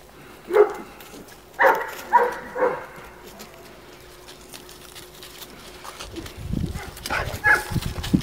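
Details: Two-year-old female Cane Corso barking: four short, deep, harmonic barks within the first three seconds, then quiet, with rustling and one fainter bark-like sound near the end.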